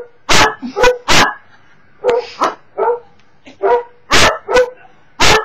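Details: Cocker Spaniel barking at videos, indoors: a fast run of loud, harsh barks mixed with softer yelping notes, roughly two per second.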